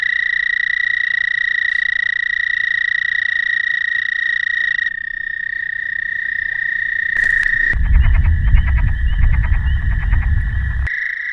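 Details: American toads in the Shawnee National Forest, southern Illinois, on an early April spring night give a steady, high, unbroken trill in a chorus, males calling to females.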